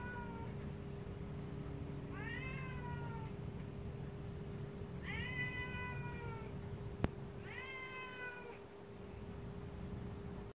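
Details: Bebe, a 10-year-old Siamese cat, at home facing Roxie, a recently rescued dog that seems scared of her; three long, wavering meows that rise then sag, spaced about three seconds apart over a low steady room hum.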